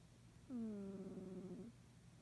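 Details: Sleeping male house cat snoring softly indoors: a single drawn-out, low, tonal breath lasting just over a second, falling slightly in pitch, over a quiet room hum.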